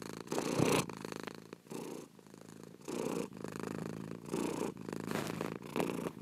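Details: Slow, deep cat purring, each breath cycle lasting about a second, with louder rumbling exhalations alternating with quieter, thinner inhalations; nothing else audible.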